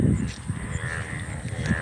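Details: Indian bullfrogs (Hoplobatrachus tigerinus) call in an open field in the morning after heavy rain following hot weather, giving a deep, throbbing chorus of low croaks pulsing in quick succession.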